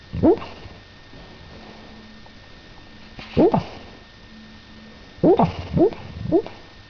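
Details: Pet dog dreaming while asleep indoors, recorded at the end of June 2006; short, high, upward-sweeping whimpering yips come singly and in a quick trio, separated by quiet pauses in a still room with a faint steady hum.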